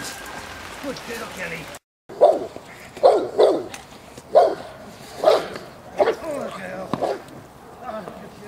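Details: Presa Canario J7's Kelly, a female of the Irema Curto line, in protection training at De la Arena, Germany, gives single gruff barks roughly once a second, with human speech and field noise between them.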